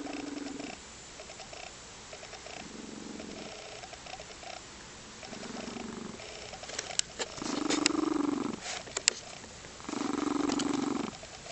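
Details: A happy female lynx point Siamese cat purrs in rhythmic rumbling bursts, with soft cooing trills mixed in.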